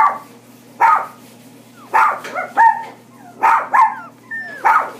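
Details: Toy Poodle barking: sharp, high yapping barks, some single and some in quick pairs, about seven in five seconds, over a low steady hum.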